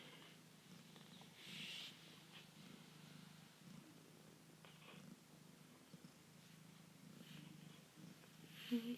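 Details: Foster kitten purring indoors; a continuous low, even rumble carries through the whole stretch, with faint handling rustles and a short soft voice-like burst partway through.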